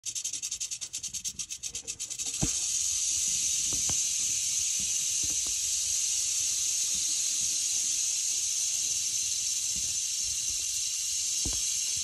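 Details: Frostina, a Western Diamondback Rattlesnake, rattling: about two seconds of quick pulsed bursts settle into a steady, dry, high-pitched buzzing hiss that holds to the end, with a few faint clicks underneath.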